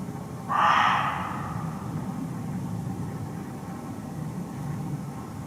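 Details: Muntjac, or barking deer, calling from thick undergrowth in a Hertfordshire forest at close range: a single sharp, hoarse bark early on, then only a low hum of ambient noise.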